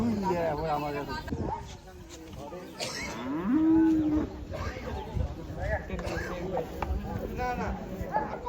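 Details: A steady, level moo from cattle at the cattle and goat market held on the Dhanpati Khola Primary School grounds, partly buried in loud crowd noise, men talking and scattered shouts.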